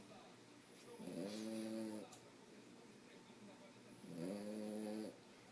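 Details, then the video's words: Sleeping French Bulldog Fred gives two drawn-out, buzzy snores about three seconds apart, each lasting nearly a second, over a soft background hiss. "Fred roncando"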